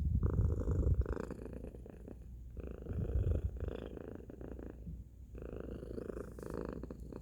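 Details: Domestic cat Tacy producing a loud purr, very deep and rumbling, with stronger bursts early on and around three seconds, breath-paced swells throughout.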